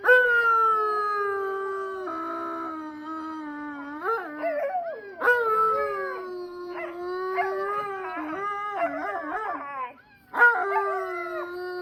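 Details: A family pack of Siberian Huskies howls together in long, sliding, overlapping tones that rise and fall; a female may have started the howl with her grown puppies.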